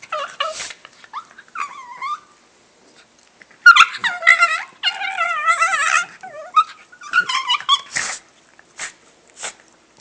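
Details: Pet dog making weird noises indoors: scattered squeaks, then a long wavering, moaning whine with a breathy, strained quality, followed by shorter squeals and huffs.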